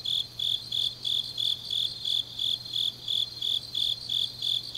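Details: On a deep autumn night in Changnyeong, Korea, grass insects give steady, shrill rhythmic chirps, close to three per second, each a short bright pulse, with a faint low hum in the background.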